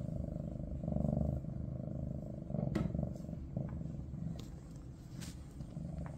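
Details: Maine Coon purring in a big household of cats with kitten Ada, a low throbbing rumble with two louder swells early on, plus a few sharp clicks and rustles.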